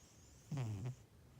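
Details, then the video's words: Snoring pet cat ToTole: one brief low, rattling snort-like breath, falling slightly in pitch, against quiet indoor background. "ToTole le chat ronfleur!!!"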